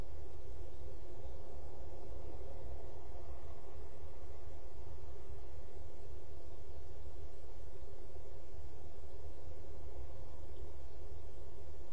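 Only a steady low rumble and faint hiss are heard, with no animal calls.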